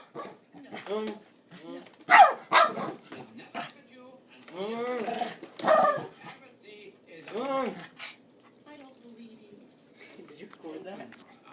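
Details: Pepper, a pet dog, playfully chases someone making vacuum-cleaner noises. Yips and rising-falling barks come in scattered bursts, with the person's humming and vocal noises close by.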